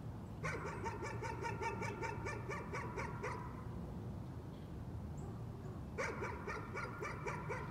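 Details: Dog barking as a nuisance: two bursts of rapid, sharp yaps, the first lasting about three seconds, the second starting after a quiet stretch, over faint rumbling background noise.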